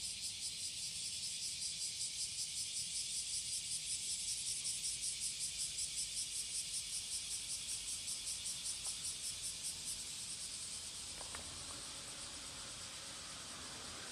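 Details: Cicada singing in courtship on the morning of July 30, 2017, at Passage de la Duee: a loud, high buzzing chorus pulsing steadily about two to three times per second, with faint clicks near the end.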